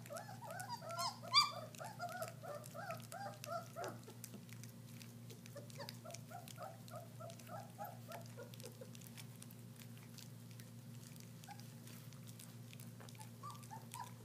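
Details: German Shepherd puppies tasting raw meat for the first time: a burst of excited squeals and bent, whistly whines at the start, thinning to scattered soft whimpers amid chewing and shuffling sounds.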